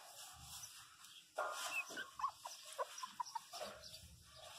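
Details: A 27-day-old female pinscher puppy cries hard in distress after falling and hitting her head, giving short, high whimpering yelps in quick succession.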